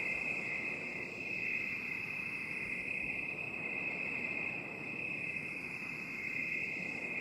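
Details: Cricket chorus in binaural 8D: one steady, unbroken high-pitched ringing trill with no separate chirps, over a broad soft hiss.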